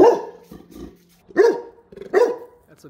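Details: Labrador Retriever barking while chasing a bee, a favourite pursuit though it was once stung: three abrupt barks spaced under a second apart, preceded by a fading bark tail and quiet household sounds.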